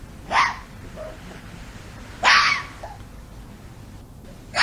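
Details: Fox calling in the mating season: two separate harsh, explosive barks a couple of seconds apart, each with a short, softer trailing note, then the start of a third over a low background hiss.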